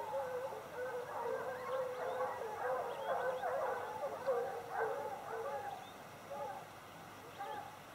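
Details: A pack of hounds hunting bushpigs bays in full cry, many voices overlapping in ringing, quavering bawls.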